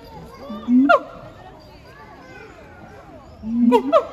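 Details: Siamang pair Heart and Brave singing at Chiba Zoological Park on 12 November 2022: a rising hoot snapping into a shrill bark, a quiet gap filled with visitors' and children's voices, then another hoot-and-bark burst.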